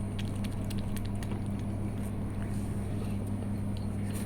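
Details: A constant low electrical hum runs beneath soft clicks and squishy handling noises, with no animal vocalisation.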